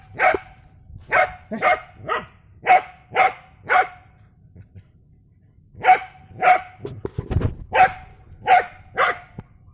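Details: Dog facing off with a snake: a run of loud, sharp barks about every half second, a brief pause, then another regular series of barks.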